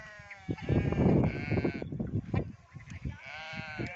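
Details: Goats on a village goat and sheep farm bleat in short, nasal, wavering bursts, three separate cries over heavy rustling and thumping from the herd.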